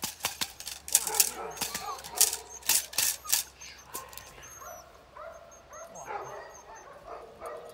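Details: Female Belgian Malinois puppy Pétra, eight weeks old, trained in bitework, gives short high yapping barks amid loud sharp clicks and knocks, with a faint thin whistle-like tone in the background.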